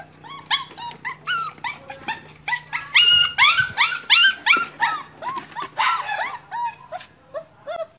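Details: Pug puppy just over a month old, eager to climb into a car and return to its mother, whimpers in quick arched high whines, about three per second, swelling into louder yelps midway before tapering off.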